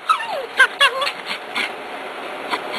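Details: A Cairn Terrier hunting a gopher in July 2006 whimpers with sliding, falling whines and a few sharp yips bunched early on, then quieter, sparser yelps, with background hiss throughout.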